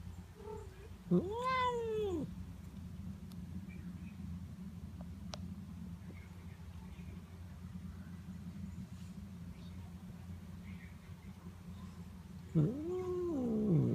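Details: Notail, a pet cat, vocalizes while being petted: two drawn-out meows, the first rising and then falling in a smooth arch with rich harmonics, the second arriving about eleven seconds later, with low steady hum throughout.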